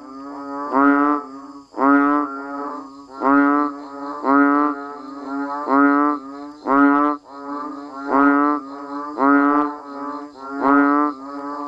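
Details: Banded bullfrogs and other frogs calling in the rain around a rice-field village: deep, nasal, moo-like harmonic calls, each under a second, come about once a second. Two or more callers overlap and alternate steadily.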